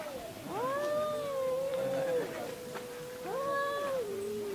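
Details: Fighting cat screams: a long, level, nasal wail lasting about two seconds, a brief pause, then a second rising-and-falling yowl that trails off.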